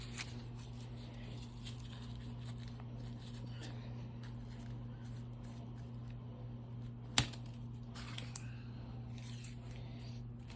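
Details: A quiet indoor room hum carries soft rustling, faint murmuring and a single sharp tap midway.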